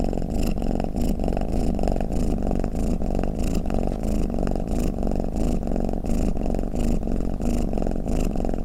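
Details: Domestic cat snoring and purring: a steady low, buzzy rumble that swells and fades in a regular rhythm, about one and a half pulses each second, with no other sounds.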